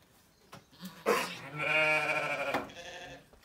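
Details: Zwartbles ewe in labour on a regenerative farm in County Kilkenny, Ireland, calling loudly enough to be heard from far away; one long, strained, wavering bleat lasting about one and a half seconds, rich in harmonics, after a short click and a soft grunt.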